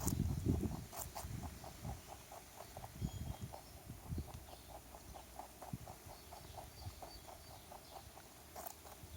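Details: A stray rabbit in a backyard chews a carrot with fast, regular crunching, several bites a second, starting with a louder rustle and then settling into a steady, softer rhythm.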